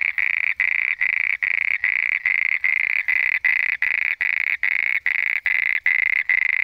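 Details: At night, a frog gives loud, buzzy trilled notes, each lasting about a third of a second, repeated steadily.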